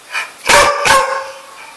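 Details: Dog indoors giving two short, sharp barks about half a second apart, with faint higher noise before and after.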